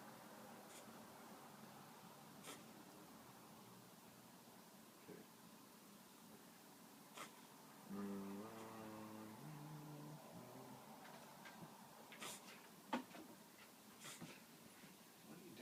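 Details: Whippet named Kidogo reverse sneezing: about two seconds of harsh, honking, rapidly repeated snorting inhalations near the middle, set in a quiet room with a few faint clicks and knocks before and after.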